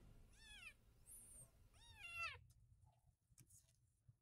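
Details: Rescued white kitten, abandoned in the street, meowing at bath time: two high, wavering meows in close succession, each sliding down at the end, followed by a few soft splashes.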